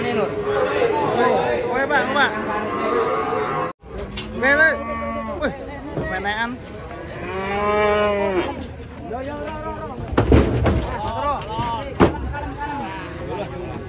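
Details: Agitated cow being unloaded from a truck, bellowing loudly; several long moaning moos with arched, wavering harmonics, one after another, a brief break near four seconds, some voices and clatter behind.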